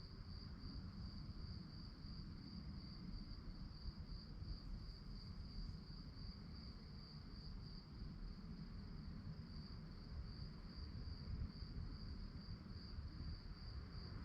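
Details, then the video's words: At night, crickets give an unbroken, shrill, finely pulsed trill that holds steady throughout, with a low droning rumble underneath. "relaxing sounds of crickets"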